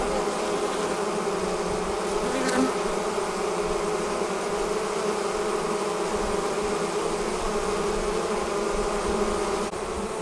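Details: Swarming honey bees departing the hive, heard as a constant layered drone of countless wingbeats with a short brighter flicker near the start.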